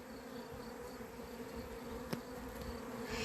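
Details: A kept honey bee colony on 28 April 2026, described as having gone wild, hums in an even, continuous drone. A single sharp click cuts in near the two-second mark, and faint background noise rises toward the end.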